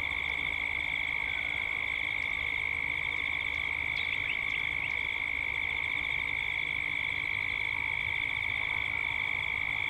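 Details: Gippsland, Australia, at dusk: massed cicadas hold a continuous shrill, pulsing drone, while brief chirps from a bird cut in near the middle.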